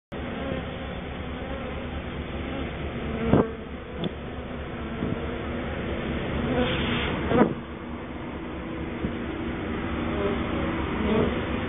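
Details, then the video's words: Honey bees cleaning their hive after sugar dusting for mites, a steady low droning hum with harmonic bands throughout, broken by a few brief louder bumps and clicks near the microphone. "Bees cleaning hive after sugar dusting for mites."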